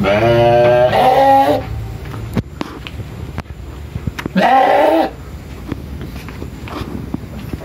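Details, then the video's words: Tame sheep on a village farm in Indonesia bleating while asking for food: two loud, wavering harmonic bleats about a second and a half long each, with rustling and clatter between them. "Suara Domba Minta Makan"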